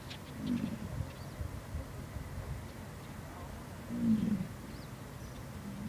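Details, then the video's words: American bison at Yellowstone giving two short, deep roaring bellows, one at the start and another about three and a half seconds later, over a steady low outdoor rumble with no other clear animals. "bison at yellowstone"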